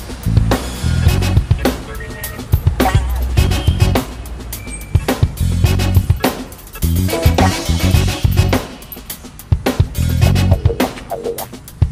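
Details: Drum-driven music with a heavy bass drum, snare hits and sharp rimshots, and no animal sounds.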